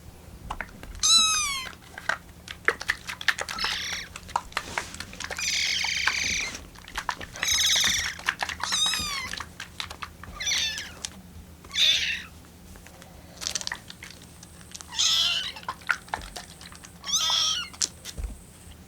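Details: Rescued kitten on its 25th day in care, waiting with littermates for milk to cool and crying for it; high, quavering meows with a bird-like vibrato, repeated bursts every one to two seconds, other kittens mewing and soft background music.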